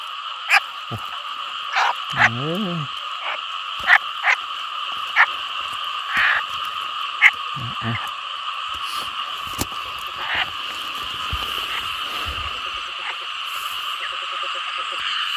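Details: Frogs calling loudly from rice fields flooded after heavy rain during a frog-catching outing: a steady, unbroken droning chorus in two tones, one lower and one higher. Sharp clicks and brief snatches of men's speech break in.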